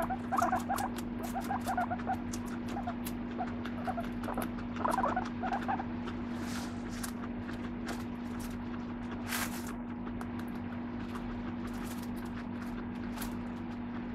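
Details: Squeaky guinea pig chatter from pet Moru-chan comes in a few short clusters early on, then fades to quiet rustling and scraping over a steady background hum.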